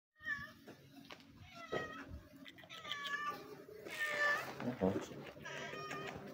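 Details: White street cat with an eye wound meowing while being petted; several drawn-out, harmonic meows spread through the clip, with a person speaking softly in Portuguese nearby.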